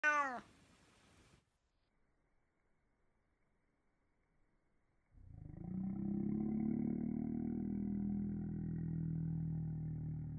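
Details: Domestic cat's meow, slowed down: a brief descending harmonic meow opens, followed by several seconds of silence, then a long, deep, droning low-pitched stretch with faint overtones lasting about five seconds.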